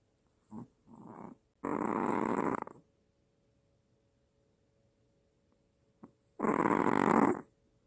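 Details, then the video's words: Maltese dog with apnea snoring, then startling: short snorting breaths followed by a loud rough rasping snore, a pause, and another strong snore, indoors. "아빠보다 더 크게 코고는 말티즈 /무호흡증/ 코골다 놀라서 깸"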